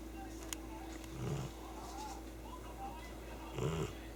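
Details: Cat fast asleep, snoring heavily. Two low, rasping, slightly nasal breaths about two seconds apart, with a brief click and a steady background hum.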